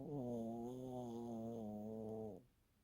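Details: Elderly poodle snoring while asleep and tired, a breed said to rarely snore; one long, steady, tonal snore with a low buzzing drone lasting about two and a half seconds, then quiet room.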